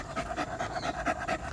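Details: Tired pet poodle panting quickly and steadily, breathy puffs repeating about every fifth of a second without pause.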